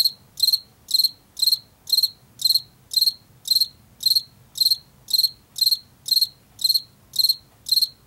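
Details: Regular shrill chirps from a field cricket, a late-summer and fall insect of fields and forest edges, repeating close to twice per second, each short burst slightly rough and buzzy, with a soft background hum.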